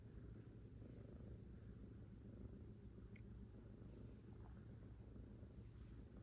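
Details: Affectionate kitten nuzzling its face into its owner's chest gives a quiet, even purr, a continuous low rumble with no breaks, alongside faint rustling of fabric.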